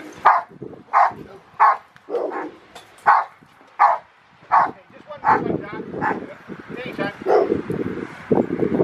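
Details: Carma v Eiche Park, a Rottweiler in protection training at the Victoria Rottweiler Club, November 15, 2020, gives a steady run of forceful barks roughly every 0.7 seconds, then barks more loosely amid human talk and scuffling.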